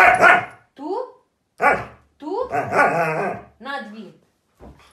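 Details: Crazy, hyperactive Husky dogs giving bending, yodel-like howls and whines that swoop up and down in pitch. A human voice talks over them in short overlapping phrases.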